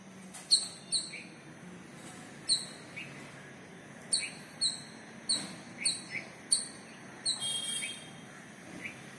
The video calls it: Squirrel calling partner video.